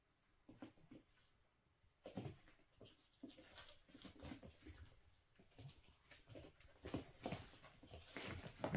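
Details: Miniature Schnauzer puppies nearly five weeks old playing and darting about indoors; short soft yips and whimpers come in scattered bursts between scuffling, pattering paws in a small room.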